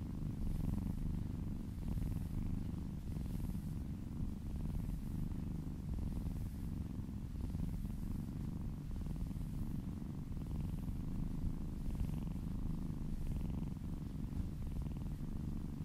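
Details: Kitten purring while being massaged indoors, licking down an arm: a steady low rumbling purr running continuously, with faint soft rhythmic breathing swells and no other clear sounds.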